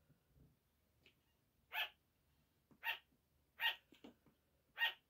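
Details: Pet sugar gliders calling at 5 in the morning: four high, clipped barks spaced roughly a second apart, with faint scratchy rustles and small ticks between them.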